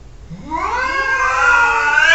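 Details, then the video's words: Domestic cat meowing in a funny back-and-forth argument; one long drawn-out call that starts quietly, rises in pitch and swells louder, holding a bright harmonic whine to the end. "Funny Cats Arguing | Cats Talking To Each Other"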